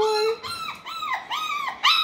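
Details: Six-week-old Parson Russell Terrier and Russell Terrier puppies indoors at a kennel. About four high, whining cries follow one another, each rising then bending down, with no other sound.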